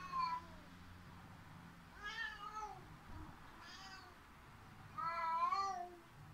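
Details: Pet cat meowing loudly, complaining after the other cat escaped up the cat tower; three long wavering harmonic meows, the last loudest and drawn out, with a steady low hum in a quiet room.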